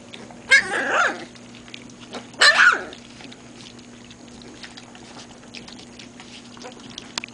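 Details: Great Pyrenees puppies learning to drink formula: two short, strained yelping whines, one near the start and another two seconds later, each bending in pitch, followed by several seconds of quiet over a steady low electrical hum.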